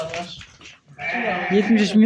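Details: Pregnant chestnut-coloured ewes newly brought in for sale; a wavering, nasal bleat rises from about one second in and runs to the end, with men's voices talking over it.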